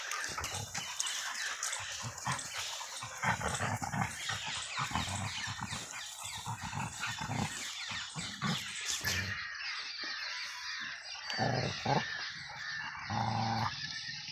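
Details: Angry Rottweiler and German Shepherd fighting, rough broadband growls and snarling bursts coming in irregular clusters, with harsher, higher yelps and scuffling noise in the second half.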